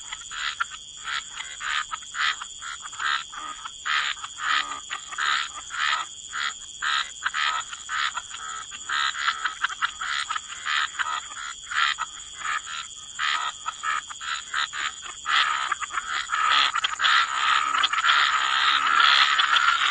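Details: A chorus of many frogs at a wetland waterside, croaking in dense, rattling pulses, roughly a hundred bursts a minute, growing busier toward the end, over a steady high insect-like whine.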